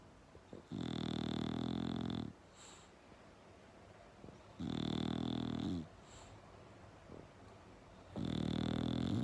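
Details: Bulldog snoring loudly: three long, deep, rumbling snores, each about one and a half seconds, coming roughly every three and a half seconds with quiet breathing gaps between them.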